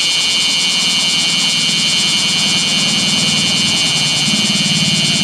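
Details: Bear cicada calling nonstop next to a national road during a scorching day over 39°C, 7 August 2020; an intense high metallic buzz with rapid pulsation over a low rumble of passing traffic.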